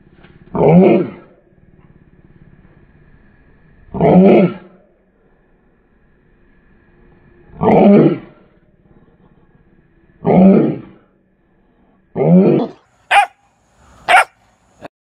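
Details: Young mastiff puppy acting tough, giving deep rough growling barks, five spaced about every three seconds, then two short higher sharp yelps near the end; quiet room otherwise.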